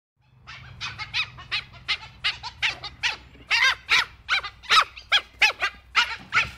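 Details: Dhole (Cuon alpinus) producing a steady run of high, squeaky chattering notes, about two and a half per second for six seconds, each note a short arched yelp.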